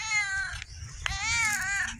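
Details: Stumpy, a visiting female cat missing her tail who talks a lot, filmed in October 2024: two drawn-out harmonic meows, the first short and level, the second longer, rising slightly then sliding down, over a soft low rumble.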